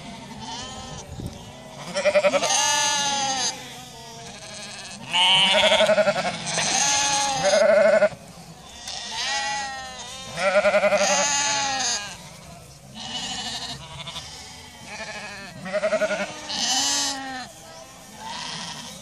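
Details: Icelandic sheep bleating in chorus, many overlapping wavering bleats from several animals rising and falling in bursts of one to two seconds, some high-pitched and others lower and throaty, with short pauses between bursts.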